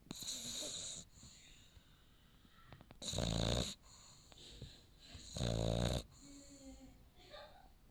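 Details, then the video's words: French Bulldog puppy Max asleep and snoring: two loud, rough snorting snores a couple of seconds apart, with softer wheezy breathing between them. "макс храпит"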